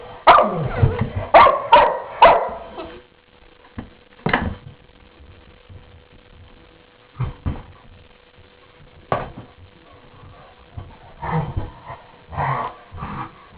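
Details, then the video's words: Two dogs, Murphy and Lomax, at morning play indoors: a quick burst of short growly barks and yips at the start, then scattered single grunts and softer vocal bursts with quiet gaps between. "dogs at play using their 'inside' voices"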